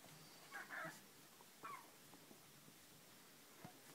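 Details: One-week-old black Shar Pei puppy whimpering in two brief high squeaky bursts near the start, then a short thin squeak later, over quiet room background.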